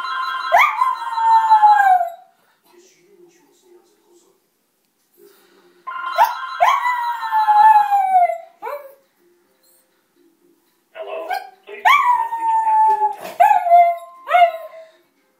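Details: Pet dog at home howling because it dislikes the ringing home telephone: repeated drawn-out howls that start high and slide downward, three bouts each lasting about two seconds, mixed with telephone ringing and quiet pauses between.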